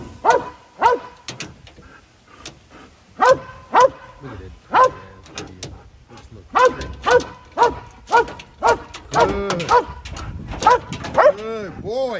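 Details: Dutch Shepherd dog being taught to guard and stay in a vehicle, barking in loud, sharp bursts roughly once a second with short pauses, a faster run of barks near the end, and a man's voice nearby.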